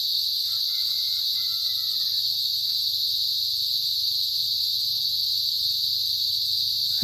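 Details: A steady, piercing hiss of chirping cicadas runs throughout with a thin higher band; faint harmonic calls sound in the first two seconds, and a sharp knock ends the stretch.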